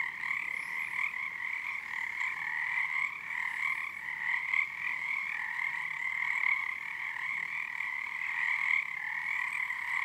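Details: Frogs massed in full chorus on Harstine Island, Washington, on a moonlit February night with their numbers building; rapid rattling croaks merge into a constant two-toned drone with rhythmic pulses of resonance.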